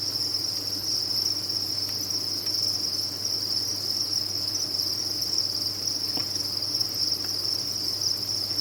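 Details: Farmed crickets in large numbers chirp as one steady, piercing high chorus without breaks, with a few brief clicks and a faint low hum in the background.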